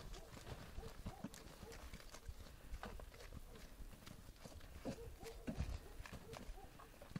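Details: Several horses gallop in snow, their hooves making a fast, uneven drumming of dull thuds with a few crisp louder strikes, while faint voices are heard at moments in the background.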